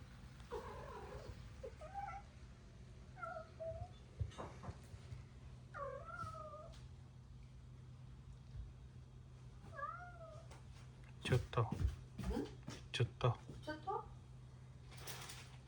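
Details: Stray cat calling while coming by in typhoon weather around noon: several short, wavering meows scattered over the first ten seconds, followed by sharp knocking and tapping noises and a low constant hum.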